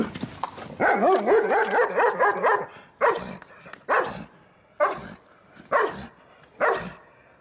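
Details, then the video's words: Angry guard dog facing an Alaskan Malamute: a fast run of rough, harmonic yelping barks for about two seconds, then six sharp single barks spaced nearly a second apart. "very angry guard dog"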